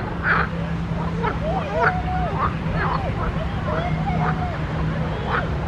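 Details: Pond frogs calling: a run of short nasal croaks with curved, bending pitch and a few brighter chirps, several callers overlapping, with a constant low hum underneath.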